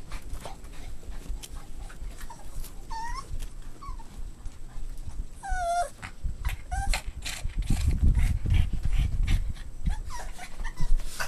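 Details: Several whimpering squeals from Boston Terrier puppies during play, rising and falling, with a burst of rapid whines near the middle and a thudding scuffle behind them.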